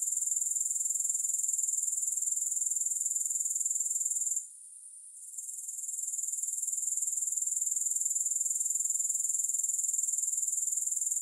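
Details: Unbroken high-pitched grasshopper buzzing with no music, finely pulsed about four times per second; it drops away for roughly a second past the four-second point, then gradually swells back to its earlier level.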